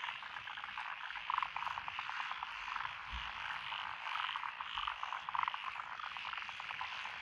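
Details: Frogs calling in lotus rice paddies beside a country road in Echizen, Fukui Prefecture, Japan, on 12 June 2021: a dense, unbroken chorus of rapid pulsed croaks, with a few louder rattling bursts standing out over the steady background din.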